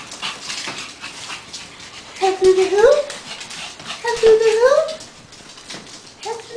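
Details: Female Pug/Boston Terrier mix indoors, animated and wanting a walk, gives drawn-out rising whines and yelps in two main bursts around the middle, with faint speech and room noise between.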